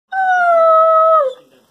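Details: Weimaraner and German Pointer cross dog 'talking' to its owner indoors: a single sustained, clear tonal howl of over a second, holding steady pitch, then dropping briefly at the end.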